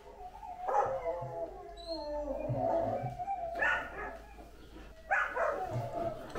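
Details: Quiet, wavering howl from Anúbis the Great Dane. A sustained tone sags gradually lower, then two short, breathy yelping bursts follow over a low background hum.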